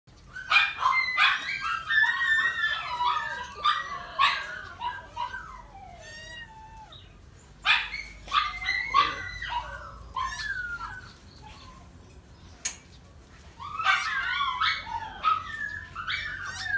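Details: Red Miniature Pinscher with a pink nose during mating, voicing high, harmonic-rich whines and yelps that slide downward, in uneven bursts separated by quieter gaps; a faint low hum underneath.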